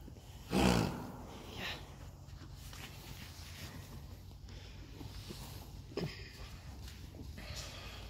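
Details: Friesian horse fillies in a herd, born in 2019: one loud, breathy broadband snort near the start, a softer puff a second later and a faint second snort near the end, over low rustling and quiet human voices.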